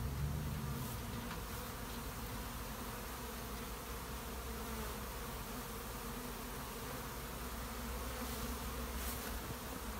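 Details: Honey bees in a shed, a steady low droning hum of many bees with layered harmonic bands, even and unbroken throughout, with faint background hiss.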